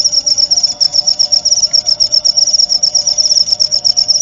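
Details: High cricket trill meant for tutoring white-rumped shamas (murai batu) at night and dewfall. Rapid, even pulses repeat several times a second in a shrill continuous stream, with a faint steady low tone underneath.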